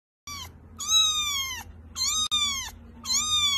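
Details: A kitten crying with four high, thin meows in quick succession, each slightly falling in pitch, with a faint low hum behind.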